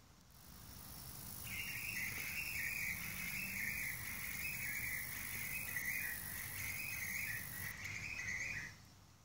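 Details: A lesser meadow katydid (Conocephalus sp.) calls with a steady, high, buzzy trill lasting several seconds.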